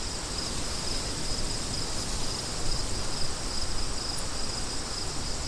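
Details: Crickets keep up an even run of high, rapid chirps beneath strong, continuous wind noise.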